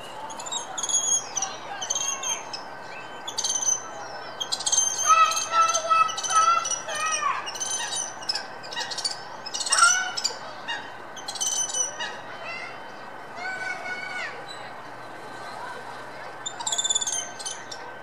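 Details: Spider monkey at Dublin Zoo in the morning, calling toward a visitor; a rapid run of high, bird-like chirps and squeaks with sliding whistled notes, in bursts through the clip, over a steady low hum.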